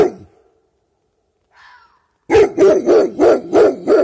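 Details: Dog barking at night in the dark at an unseen creature: after a short faint sound, a burst of six rapid, evenly spaced barks about every third of a second, loud and mid-pitched.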